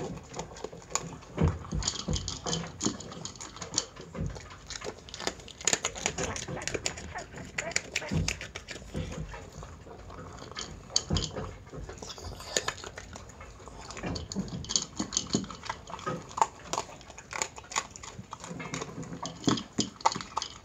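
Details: Chi-chan, a Miniature Pinscher, tucks into dry dog food at mealtime. Dense, sharp crunches and kibble clatter come in uneven clusters, with faint quieter gaps between bouts of chewing.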